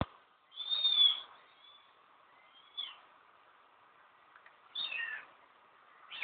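A kitten gives thin, high-pitched mews, each a brief falling cry, spaced a couple of seconds apart.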